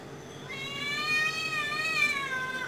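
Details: Cat hunting and attacking a small bird, giving one long drawn-out meow that starts after half a second and holds a steady, slightly falling tone for over two seconds, with faint background hiss.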